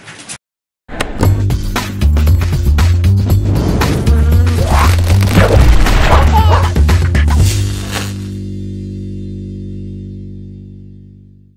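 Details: Loud rhythmic music with thumping bass fading out into a sustained low tone, no animal calls heard.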